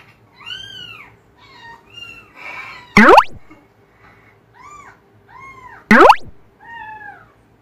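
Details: Cats reacting to the sound of kittens meowing: a series of short, arched, falling meows, one every second or so with brief pauses, interrupted twice by loud, sharp knocking clatters.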